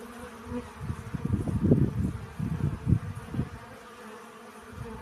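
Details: Pollen-gathering honey bees buzzing low and rough: a quiet hum grows into a dense cluster of close buzzes in the middle, then eases back to a soft drone.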